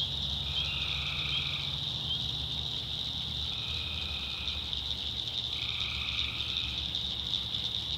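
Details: At night in the backwoods swamps of North Carolina, tree frogs produce a constant piercing chorus punctuated by three longer buzzy trills, spaced a few seconds apart, over a low droning hum.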